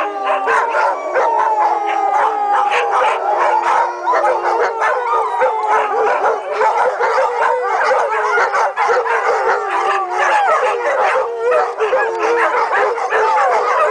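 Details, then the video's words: Many dogs howl as a pack, drawn-out wavering notes layered over one another, with short yips and barks scattered through the steady chorus. "Dogs Howling"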